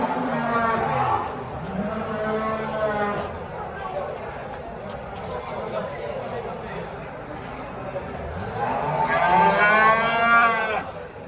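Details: Simmental and Limousin cattle at an animal market give a few drawn-out moos, rising then level, spread across the clip amid people talking and passing vehicle noise.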